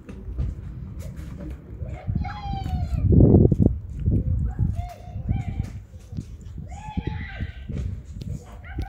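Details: Hungry street cats, homeless and living outdoors, give several drawn-out, harmonic meows in short bursts a second or two apart, over steady low rumbling and handling noise.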